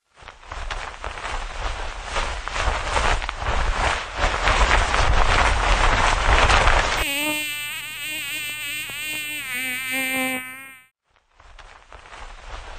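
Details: A bee on a flower, recorded close up: a steady low buzzing hum with wavering pitch, following several seconds of rushing wind noise. Bee.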